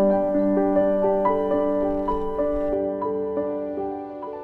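Soft piano music with a steady run of sustained notes, and no animal sounds.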